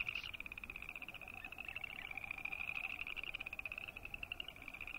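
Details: Boreal chorus frogs croaking in a continuous chorus: steady, rapidly pulsed, creaky trills at a high pitch overlap with no break, and a fainter, lower pulsed trill runs beneath them.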